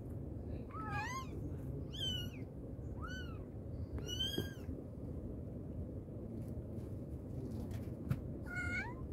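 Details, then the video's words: Mother cat calling to her kittens with clear, harmonic-rich meows, each arching up then down, five calls spaced over nine seconds, against constant low background hum. "Mother cat calling her babies | cat meowing |kittens sound | mommy cat calling her kittens"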